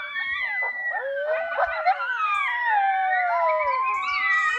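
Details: A coyote pup howls along with a hunter's call while an adult coyote runs in: dense overlapping howls, long sliding wails rising and falling, with sharp yipping breaks and whining quavers layered throughout.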